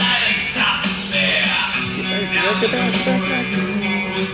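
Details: Loud rock music with guitar and vocals plays continuously, with no animal sounds.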